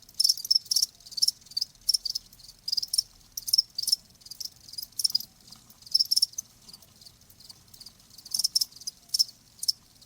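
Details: Crickets giving clusters of high, ringing chirps separated by quieter stretches, bursts returning roughly every second; faint low background noise.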